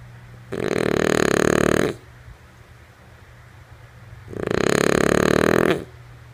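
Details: Deep, raspy snoring from Lulu, a female French Bulldog fast asleep; two drawn-out snores of about one and a half seconds each, roughly three seconds apart, over a soft low hum.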